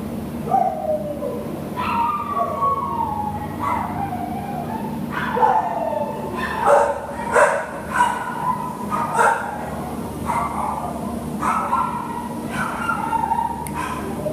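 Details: American Cocker Spaniel up for adoption, giving a series of short, high, tonal yelps and whine-like barks, some falling in pitch, repeated about once a second over a steady low hum.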